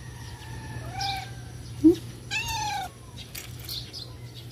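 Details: Stray cats at feeding time: a soft rising-falling meow, then a brief click and a louder, fuller meow, all over a constant low electrical hum.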